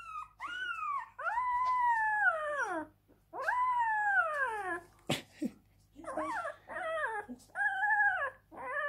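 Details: Crying Siberian Husky gives long, arching howl-like wails that rise and then fall over one to two seconds each, with short breaks between them and a sharp click midway. A few briefer wavering notes close the sequence.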